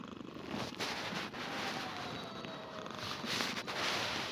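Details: Himalayan cat purring steadily, a soft continuous rumbling texture of rapid pulses with no pauses, close to the listener, with brief clicks and light handling noise in the background.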